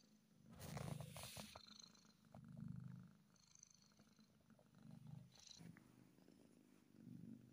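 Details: Happy kitten giving a strong, close purr, a low vibrating rumble swelling with each breath about every two seconds, mixed with rustling and scratchy fur or handling sounds.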